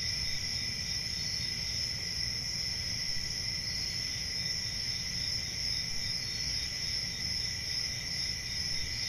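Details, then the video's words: Continuous high-pitched cricket chorus on a calm country summer night, steady and unvarying, layered over a faint low background rumble. "Relaxing Cricket Sounds For Sleep | Ambient Summer Night"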